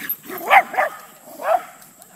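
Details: Wilma the Corgi, visiting an alpaca farm and herding alpacas, lets out three short, sharp, yappy barks within about two seconds: two quick ones close together, a pause, then a third.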